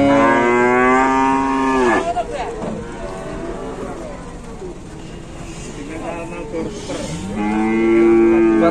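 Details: Trapped, collapsed cow being rescued in Indonesia moos loudly for two seconds, falling at the end. Quieter calls follow, then a second strong, steady moo rises in at about seven seconds.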